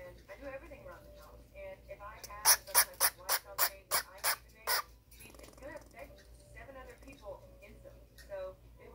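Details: Baby squirrel Nano, one of twins, upset because his brother Pico is being mean to him, 10/6/18: a rapid run of about nine sharp, broadband squeaks over two seconds, with a human voice talking softly before and after.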